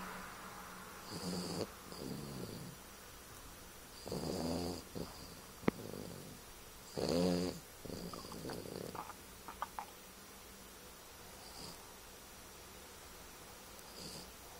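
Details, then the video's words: A 2-year-old French Bulldog snores loudly, rough rattling breaths recurring every few seconds. "My french bulldog snoring"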